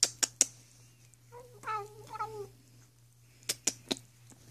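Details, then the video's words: Female house cat grooming her paw indoors, giving two short wavering chirpy calls in the middle, framed by sharp clicking or tapping sounds and a steady low hum. "Cat making weird sounds while bathing"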